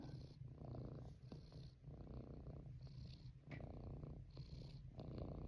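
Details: Domestic cat purring while being rubbed in a lap after a nap in the window; low continuous rumble with breathy pulses, rhythm shifting about every second between inhale and exhale.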